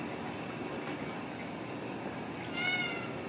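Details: Ragdoll kittens with their mother, raised in a home cattery in central Kansas with no cages: a single short, faint, harmonic mew rises near the end over steady low room noise, with quiet human talk around it.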